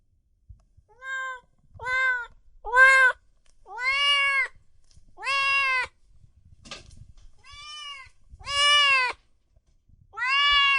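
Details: Kittens and cats meowing loudly: about eight meows of varying length and strength, some short and soft, others full and ringing. Faint low thumps and rustling sound in between.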